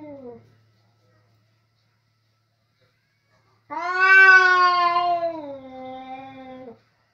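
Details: In a kitchen, two male cats square off over food. A short descending moan cuts off, silence follows, then a loud, harsh, sustained caterwaul swells and sags over three seconds before stopping abruptly.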